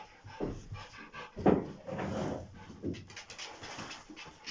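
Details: Two Rottweilers meet; one gives a short, gruff bark among bursts of heavy panting and soft whimpers.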